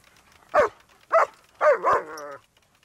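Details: Two German Shepherds, Malfred and Mennard, attacking a moving lawnmower: three sharp barks, the last one drawn out into a longer harmonic yelp lasting nearly a second, with a quiet background.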